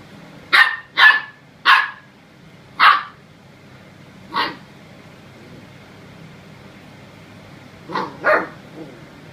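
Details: A Samoyed puppy squaring off against a broom gives seven sharp, bright yips. They come in a quick cluster of four, then a single one, then a final pair after a pause, over a quiet indoor background.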